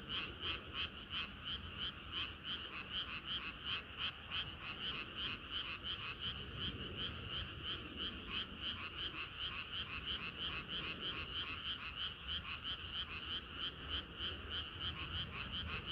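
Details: Many frogs singing together on a hot summer night, a dense chorus of rapid, pulsing croaks repeated about three times a second, bright and steady throughout with no pauses, over a low background rumble.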